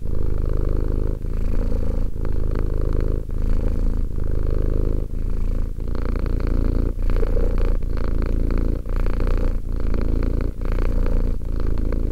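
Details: Deep rhythmic purring from two-year-old cat Romek, a low continuous rumble with short breaks roughly every second marking each breath in and out, about a dozen cycles.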